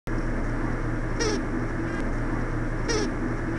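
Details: Western honey bee (Apis mellifera) stop signal: two brief, buzzy beeping pulses about two seconds apart, made as the signaler head-butts the receiver, usually another forager, to make it stop, over steady hive hum.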